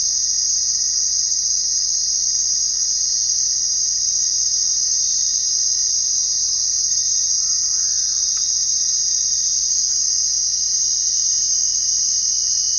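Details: Crickets at night form a continuous shimmering high trill with no pauses, a thin steady tone lower down, and a couple of faint brief clicks midway.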